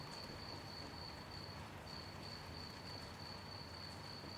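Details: Night crickets in gentle rain give a continuous high-pitched trilling tone, pausing briefly once. Steady rain hiss and drops fill the background.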